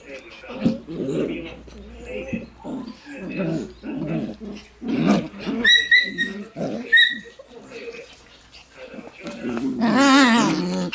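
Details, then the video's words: Shiba Inu puppies in a litter alongside a black Shiba, indoors; repeated thin high yelps near the middle, then a loud wavering whining cry at the end, over constant human speech. "黒柴 春音と柴犬子犬軍団"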